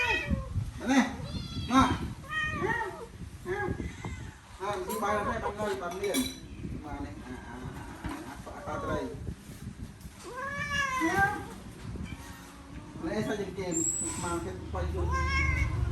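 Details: Several hungry cats at a rice meal give repeated rising and falling meows, some drawn out, with Khmer-speaking people talking throughout and faint clatter in a small room.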